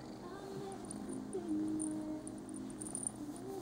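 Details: A Scottish Fold cat wanting a little attention before a cat nap gives a soft, drawn-out meow that slides gently downward, with quiet room sounds behind.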